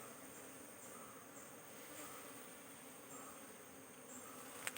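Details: Honey bee colony buzzing while queen cells are being looked for on the comb; a constant low hum with a faint higher whine, and a short sharp knock at the very end.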